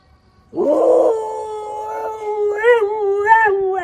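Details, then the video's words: A single sustained howl from a Siberian Husky, starting with a rough rising onset, then holding a steady mid-pitched tone before wobbling in pitch toward the end. "Tunog ng SIBERIAN HUSKY | Sound of SIBERIAN HUSKY"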